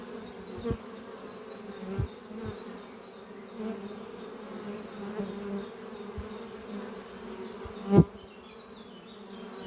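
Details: Honey bees flying at beehive Doppio under trees on a spring morning, a horizontal hive made from an old French oak chest, workers bringing in pollen; steady low droning hum with a few sharp knocks and faint high repeated bird chirps behind.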